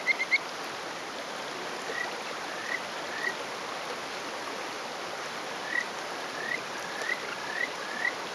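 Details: A small male Kajika frog (Buergeria buergeri) on a rock gives short, sweet rising breeding whistles over a rushing stream, on the morning of 20 May 2018 in rural Hofu, Yamaguchi, Japan. Males are territorial.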